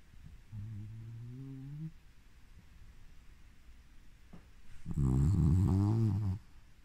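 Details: Havanese dog Coco, 2 years 11 months old, asleep and snoring: a low, humming tone slides upward for over a second, then after a quiet pause a louder, rougher snore rumbles for about one and a half seconds.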